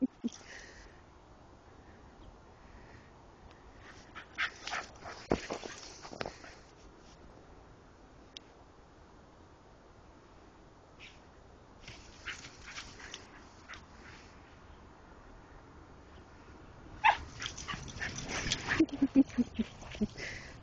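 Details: Six-month-old male Keeshond puppy playing in snow, allowed a little more activity after surgery; scattered short broadband bursts and soft crunching, with a denser cluster of brief yelping, whimper-like notes near the end.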